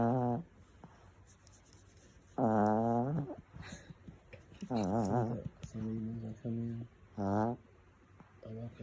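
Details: A sleeping female pet dog snores in a small room, giving tonal, harmonic groaning snores in about five bursts of under a second each, spaced one to two seconds apart, with faint background noise between them.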